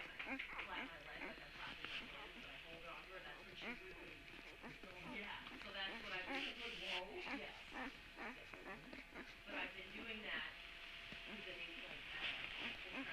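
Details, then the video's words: Puppies recorded on Tuesday, March 17, giving high squeaky whines and yelps in rapid, overlapping, irregular bursts of about two per second, with human voices talking alongside throughout. "Puppy sounds"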